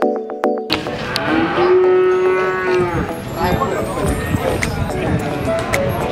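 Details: Cattle at the Pahing cattle market in Warujayeng on a Tuesday morning, 29 October 2019. A long, steady, tonal moo lasts about two seconds amid busy market noise and clatter, with a brief musical tone at the start.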